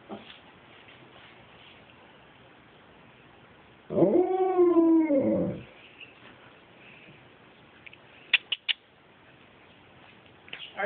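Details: Dexter, an Alaskan Malamute, 'wooing' in a singing style at home: a single arching, rising-then-falling 'woo' lasting under two seconds after quiet, followed by a few sharp clicks.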